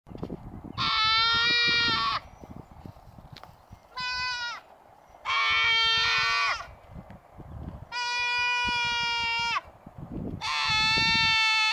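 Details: Goats grazing at the Mace Ranch Wildlife Area, placed there to cut the grass, give five loud, nasal, wavering bleats of one to two seconds each, separated by short pauses, over faint outdoor background noise.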